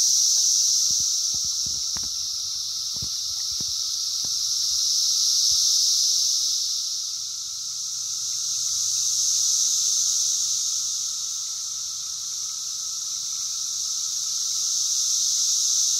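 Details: Periodical cicadas of a 17-year emergence fill hillside woods with a dense chorus, a high hissing drone that swells and fades every few seconds like a wave across the trees, loud under a low canopy.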